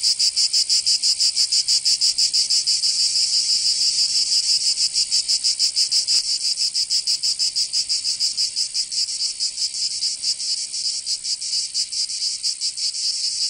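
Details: Cicadas singing in summer in Provence, southern France: a dense, continuous high buzzing chorus pulsing about three times per second, steady and loud throughout with no other sounds.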